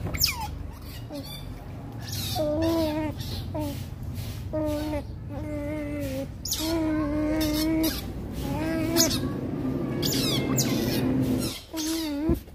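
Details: Baby Rottweiler puppies fighting: a run of short, steady whines with stacked overtones, each about half a second, repeated every second or so, with sharp clicks and scuffling noises between them.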